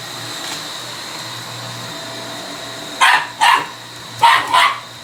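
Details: Male Shiba Inu challenging a vacuum cleaner: after three seconds of steady machine hum, two pairs of short, sharp barks burst out, each pair quick and clipped, with a brief pause between pairs.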